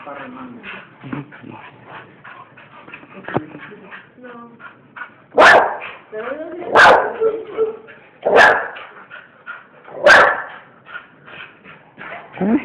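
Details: Pet bull terriers over a person's talking: after soft background chatter, four loud, sharp barks come about one and a half seconds apart, followed by quieter voices.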